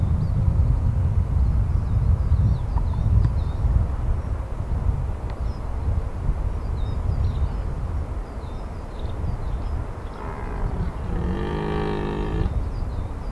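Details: A red deer stag (Cervus elaphus) gives a deep, harmonic, drawn-out rutting bellow over a steady low rumble of wind, recorded in the 2023 rut in the Massif de l'Aigoual.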